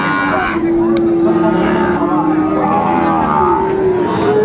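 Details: Young Sahiwal bulls for sale at a crowded Bangladeshi livestock market in January; sustained, steady moos with rich harmonics, one after another, over constant human chatter.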